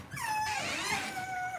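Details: Cavalier King Charles Spaniel puppies raised indoors in a home puppy pen give a high, drawn-out whimper that slides down and then holds a steady pitch, with a second thin whine overlapping and bending lower toward the end.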